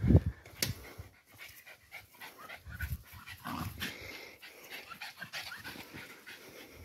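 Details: Parson Russell Terrier visiting a new friend, panting in short uneven bursts of breath after a sharp thump at the start, with scattered rustling and handling noise throughout.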